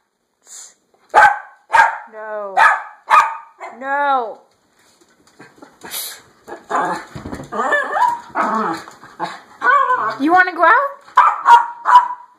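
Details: Dog wanting to go outdoors, opening with quick yaps and a few wavering, bending whines, then a busier stretch of rapid yapping and high whimpering cries; human speech seems mixed in.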